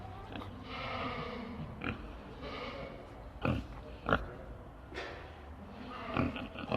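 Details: Pigs giving soft, low grunts and snorts spaced several seconds apart, with a few sharper clicks and snuffles over a quiet background hum.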